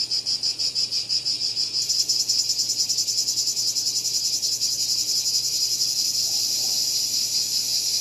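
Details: Cicada call that starts as choppy, rapidly pulsed buzzing, then swells after two seconds into a denser, brighter, continuous shrill drone.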